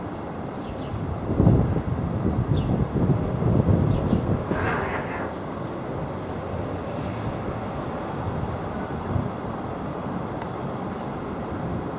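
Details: Low rumbling wind and vehicle-like noise dominate, with a louder gust near the start and a few faint clicks, but no animal voice.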